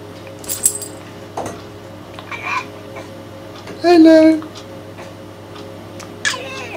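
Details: A 16-year-old pet cat, whose voice is said to be going with age, gives a short wavering meow heard as 'hello' amid a person's repeated spoken hellos in a quiet room.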